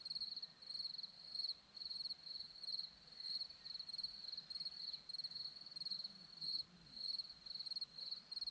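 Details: Crickets chirping on a hillside in Zorlesti, Romania: clear, high, pulsed chirps grouped in bursts about every half second, forming an even chorus over quiet background.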